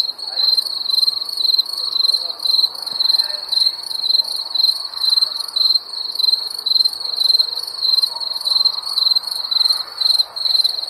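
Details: On a summer night, crickets keep up a rhythmic, piercing chirp. Short pulsed bursts repeat about twice a second without pause, with a faint airy hum underneath.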